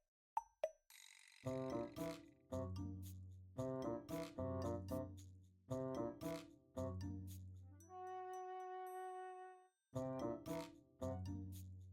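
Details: Bouncy, plucky children's-style music with repeated short phrases, a sustained chime-like chord in the middle and a couple of sharp plops at the start, with no animal voice.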